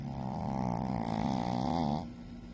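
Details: Shih Tzu asleep, giving a single sustained rattling snore of about two seconds, low and buzzy with fluttering texture, then stopping abruptly into faint room hiss.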